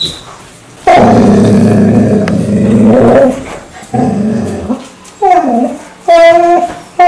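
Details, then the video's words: Mansu, a pet dog that wakes its owner every morning indoors with a strange sound, gives a long low grumbling growl, a shorter one, then a few rising whiny yelps. "아침마다 알수없는 소리를내며 주인을 깨우는 강아지"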